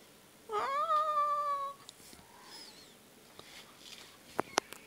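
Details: A pet cat called a 'talking' cat, said to demand food with its meows, gives one drawn-out indoor meow that rises and then holds steady for about a second, followed by faint clicks and room hush.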